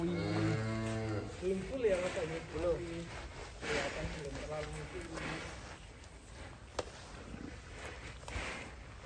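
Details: A large fattened 'monster' cow being led out of its pen gives a deep, drawn-out moo with rich layered harmonics at the start, followed by men's voices talking and handling noise in the barn.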